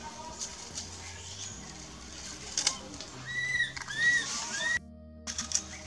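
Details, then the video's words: In a Cambodian provincial park, a young monkey cries for its mommy with three or four rising-and-falling squealed notes in a row, then a brief silence, with splashing noise and rustle behind. "Cute baby monkey cries for mommy"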